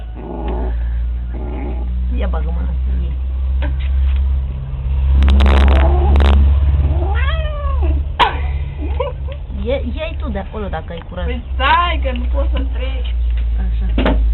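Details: Cat yowling in a long series of wavering, rising-and-falling wails, loud and drawn out, with people talking and a burst of rustling noise partway through.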